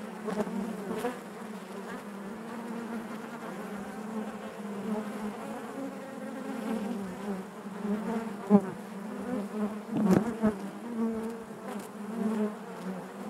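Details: A honey bee colony humming inside the hive: an even, low, continuous drone with soft overtones, a little quieter overall, with a few sharp taps and short louder bursts near the end.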